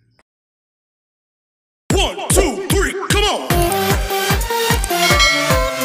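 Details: Near silence for two seconds gives way to punchy electronic dance music with sweeping synth stabs and a driving beat.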